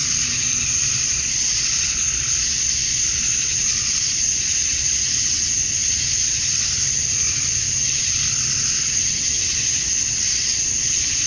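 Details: Cicadas at summer dusk in Georgia, USA, males calling to draw females, make a continuous sizzling high whine that swells gently in waves but never stops.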